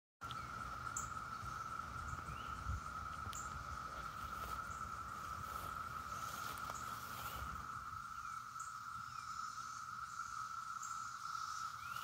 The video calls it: Sounds of the Brood X cicadas in Bloomington IN